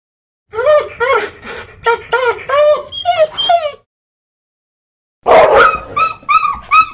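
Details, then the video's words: A dog whining in a run of six short, high, wavering whines that rise and fall, then a pause and a second burst of sharper, strained whimpers ending in quick yelping notes. "Звуци. Куче. Кучето хленчи."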